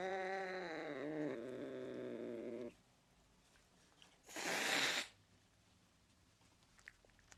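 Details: Angry cat: a long, wavering, strained yowl for nearly three seconds, a pause, then a short, sharp, breathy hiss lasting under a second, followed by near silence with faint clicks.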